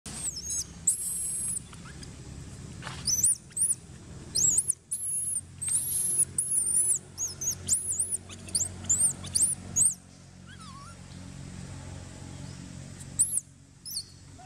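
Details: Baby monkey Brandi crying to its mother Bridget, asking for milk: a dense run of very high, thin squealing cries that arch up and down, coming in quick bursts with short pauses, over a low rumbling background.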